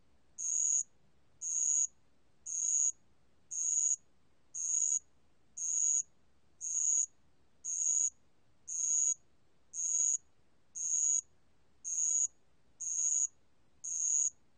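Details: Bell cricket recording from Korea's National Institute of Biological Resources, 2020: high, shrill half-second trills repeated steadily about once per second, fourteen bursts in an even series over a quiet background.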